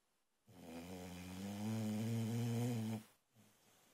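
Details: Boxer puppy, female, snoring loudly while asleep indoors; one long rumbling, harmonic-rich snore of about two and a half seconds, strengthening midway, followed by a softer breath after a brief pause.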